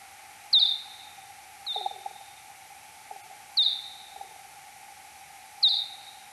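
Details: Search-phase sonar of Kuhl's pipistrelle, time-expanded ten times, night of 6 July 2022 at 03:59: four sharp downward-sweeping chirps, each fading into a brief tail, one to two seconds apart, with faint lower clicks and a steady background tone.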